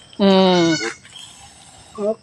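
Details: Pet goat kept by a family, calling while giving birth: a loud, harmonic, steady bleat lasting about half a second, then after a pause a shorter second bleat, with people talking quietly around her.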